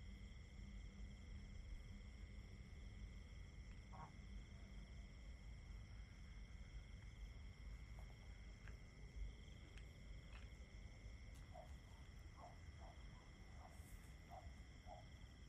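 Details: Crickets keep up level, ringing trills at several pitches while brief clicks and a run of short mid-pitched notes appear near the end, all over a low continuous rumble.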